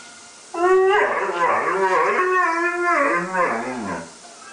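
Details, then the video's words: Pet Afghan Hound singing along to music, one long wavering howl of about three and a half seconds, with pitch sliding up and down in melodic swoops, then fading out, over faint background music. "the singing Afghan Hound"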